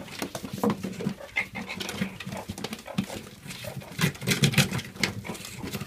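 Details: Pet meerkats digging through a straw-filled box for mealworms, morio worms, carrot and butternut squash as enrichment; short low grunting calls scattered among loud rustling of straw and cardboard, with a few brief higher squeaks.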